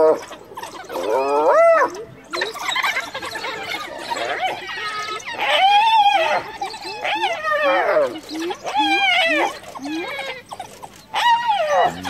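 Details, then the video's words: Hyena under attack by wild dogs, summoning clan members to rescue her; dense run of arched, bending squeals and whines, roughly one every second, overlapping and varying in pitch, with scuffling noise throughout. "Hyena Cornered by Wild Dogs Calls for Backup!"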